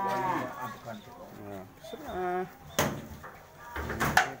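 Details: Cattle brought in for sale, penned several together: a few short, wavering moos with bending pitch overlap with nearby talking, sharp bangs and metallic knocks.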